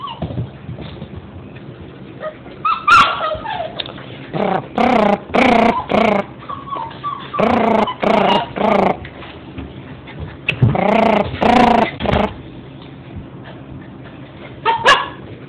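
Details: Alaskan Husky puppies, the litter of Tamara and Chopper, whimpering and yelping in bursts of harmonic, wavering cries lasting about half a second each, grouped in clusters with short quiet gaps, some low growly sounds between them.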